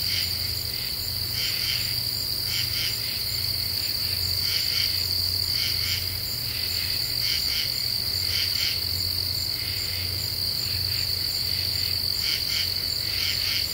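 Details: Nighttime song of common true katydids in Eastern U.S. deciduous forest, the Ozarks, 28 July 2013: rhythmic bursts of rasping pulses repeat about once a second amid a steady shrill insect drone and low-frequency hum.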